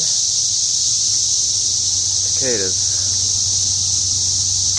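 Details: Cicadas droning outdoors beside a house, an unbroken high-pitched electric whine, with a man speaking briefly in the middle.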